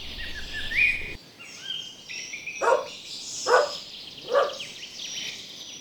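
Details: Energetic dogs playing in a meadow bark three times, about once per second, after rising whistled bird notes and soft outdoor noise.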